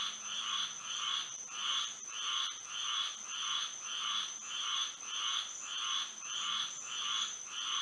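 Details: Florida frogs calling on a moonlit night: regular, evenly spaced buzzy croaks roughly every half second forming a steady throbbing chorus, accompanied by a continuous high whine.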